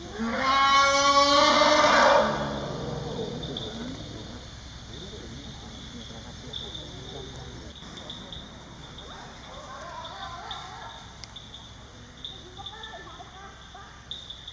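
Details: Phu Pha, a wild bull Asian elephant in Khao Yai National Park, out of the forest alone, calling loudly for his missing pregnant mother. One loud, rich, harmonic bellow lasts about two seconds. Steady, shrill insect buzzing follows and continues through the rest.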